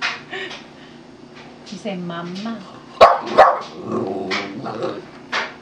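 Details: Boston Terrier vocalizing on cue for a treat, with a curved, rising-and-falling howling note and short sharp barks, mixed with a person's encouraging speech.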